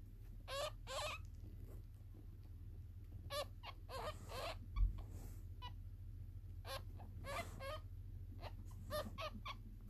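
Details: A newborn ferret kit "singing" in its sleep gives thin, high squeaks in short bursts, over a steady low hum.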